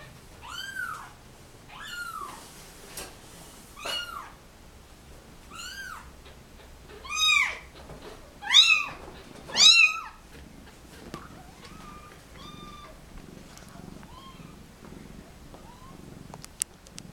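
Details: Kittens, dumped with their mother at a turnpike in a cardboard box, cry while being photographed indoors; about eight high, arched, harmonic-rich meows come in the first ten seconds, then fainter, scattered mews follow over quiet room noise.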